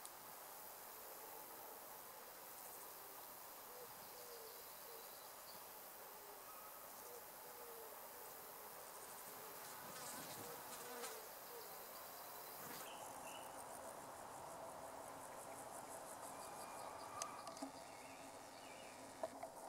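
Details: An adult female great green bush-cricket, about 5 cm long, in a wood meadow, sings a high, hissing stream of rapid ticking pulses over a quiet meadow background.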